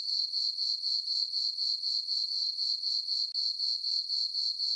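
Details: Summer night chorus of crickets in a moonlit meadow on a farm: a continuous shrill tone broken into even pulses roughly four per second, with no other sounds.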